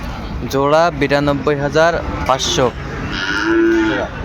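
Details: Sahiwal bull cattle at a Comilla cattle market in Bangladesh, 11 February 2025. A string of short, choppy lowing bursts in quick succession ends in one longer, steadier moo, with market background noise throughout.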